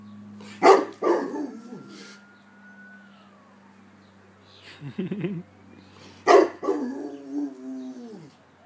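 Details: Alert Rottweiler reacting to a passing ambulance siren, whose long tone rises faintly behind: a pair of loud barks, a brief wobbling whine, then another bark sliding into a drawn-out, descending howl.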